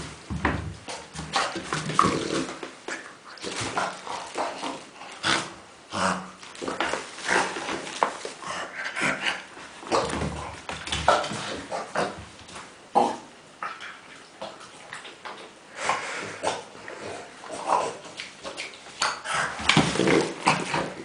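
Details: Kuba the dog, happily busy with tennis balls, keeps up a run of short nasal grunts and snuffles that sound more like a pig, with rustling and clicking between bursts and faint speech.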